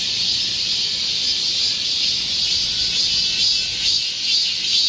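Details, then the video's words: Korean cicadas in a green forest in midsummer heat, 25 July 2024, singing together: a constant, high, sizzling drone with faint wavering pulses and no other clear sounds. "Korean cicadas, a chorus in a midsummer green forest | 한국 매미들의 한여름 초록 숲속의 합창"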